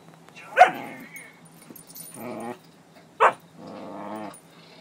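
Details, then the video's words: Female Siberian Husky vocalizing at her toy: two short sharp yelps are followed by lower, wavering, groaning growls, in a quiet room. "Hana Growling"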